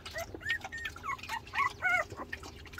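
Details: Young dog, a puppy, whimpering indoors: a run of short, high, arched whines, some rising then falling, coming several in quick succession mid-clip, over a faint low steady hum.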